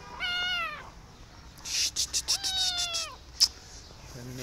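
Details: Rescued kitten meowing after her rescue: two drawn-out, tonal meows, the first brief and the second longer with a level then falling pitch, separated by a burst of rapid clicking and rustling sounds.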